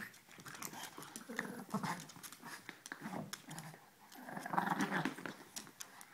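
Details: Two puppies, Ella and Duke, playing together: rough, low growly grumbles come in quick irregular bursts, with a few brighter yips and scuffling sounds between them.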